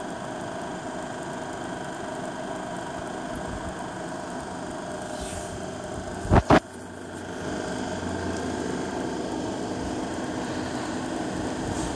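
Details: Steady low engine rumble and road noise with no animal voice. A sharp double knock comes about halfway through, then the hum grows slightly louder.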